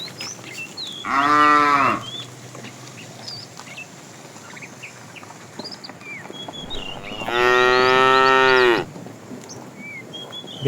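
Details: A fat cow in a tame herd, herded in the afternoon, calls out to the female with two loud, sustained moos. The first is short and the second, longer one follows about six seconds later. Birds chirp and twitter in the background.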